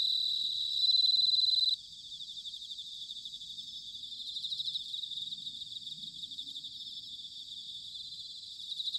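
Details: In autumn at Sanuki, Chiba, Japan, a bell cricket gives a short bright ringing note that stops abruptly. A fainter high pulsing chorus of insects continues afterwards and swells again near the end.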